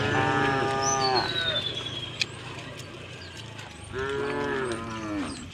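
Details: Two harmonic moos from cows walking through the village to the fields, one at the start and one after a pause, with a long falling bird whistle and a brief click between.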